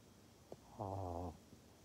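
A pug gives a low, nasal, wavering grunt lasting about half a second.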